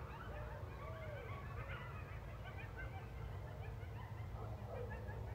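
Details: Coyote pack calling at night in rural Missouri as a train comes through: a busy chorus of wavering yips and short quavering howls, overlapping and jumbled, over a steady deep rumble from the train.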